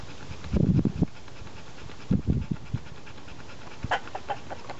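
A Labrador Retriever pants in quick, low, breathy bursts, with short pauses between them.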